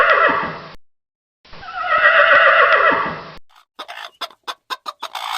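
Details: Horse (Equus caballus), neigh.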